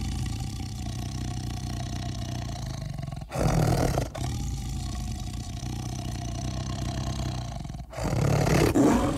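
A tiger gives deep, rumbling growls broken by two loud, rough roars.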